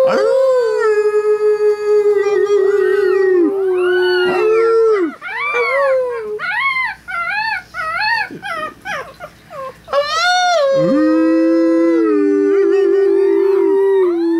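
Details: Chihuahua puppies, three weeks old, sing while their people howl beside them; a sustained low human howl opens and closes, framing a run of rapid, high, rising-and-falling puppy yips and wavering cries in the middle.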